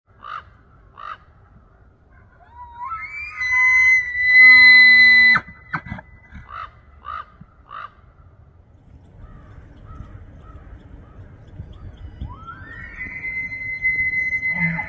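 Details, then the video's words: A bull elk bugles during the September rut in Banff, Alberta, Canada, sliding up into a high, shrill whistle that breaks into deep grunting chuckles; the bugle attracts females and warns rival bulls. "5 Minutes of BULL ELK BUGLING …. Turn Up The VOLUME!!!"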